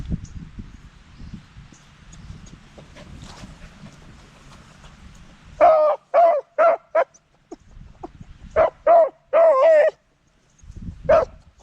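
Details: Scampi the Beagle, a pet dog, hollering: a low rumbling, quiet opening gives way to a run of short, ringing, harmonic yelps bursting out in quick clusters, about eight in five seconds, with brief silent gaps between groups.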